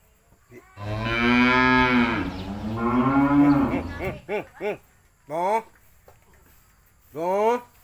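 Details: A cow (Bos taurus), raised by being let out to graze on an empty rice field, gives a long, drawn-out moo, then several short, abrupt lowing calls.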